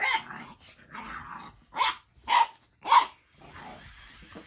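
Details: Baron, an eight-week-old Boxer puppy, growls and barks at Ollie, an interactive robotic toy with lights, sounds and movement. Five rough, harsh bursts come roughly every half second to second, the last three short and sharp.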